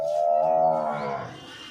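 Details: Banni breed water buffalo cow, offered for sale, in her second calving and seven months pregnant, gives a loud, steady, low moo of rich layered tones lasting just over a second, then trails off into quiet background noise.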